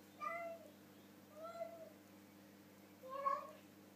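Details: While eating dinner with his mouth full, Harley the pet cat gives three short muffled meows, the last one loudest, over a faint steady indoor hum.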